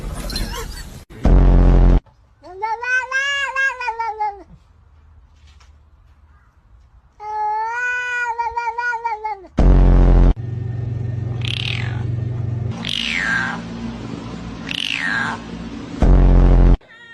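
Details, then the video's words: Domestic cat making drawn-out wavering meows to impress its owner, two long harmonic calls in the first half, then short downward-sliding squeaks amid loud bursts of noise, laughter and voices. "Cat Making Hilarious Sound to impress owner"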